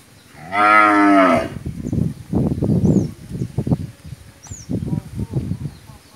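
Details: Family-raised Friesian dairy cow in Pabna, Bangladesh, a first-calver that has just delivered a bull calf, gives one loud, rich harmonic moo lasting about a second, followed by men talking in Bengali nearby.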